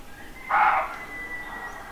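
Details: Roe deer barking at dawn in the countryside of central France on 30 September 2018: a single hoarse bark, followed by a weaker echo, over a steady background hiss and a faint thin whine.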